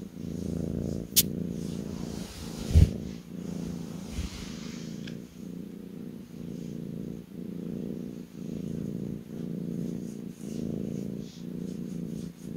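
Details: Kitten purring while lying on a lap indoors: a low, steady rumbling purr in rhythmic pulses about every second, with a few brief clicks and rustles early on.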